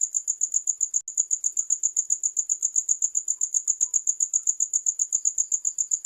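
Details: Shrill cricket chirps repeat rapidly and regularly, near four per second, with a brief click partway through and otherwise quiet surroundings.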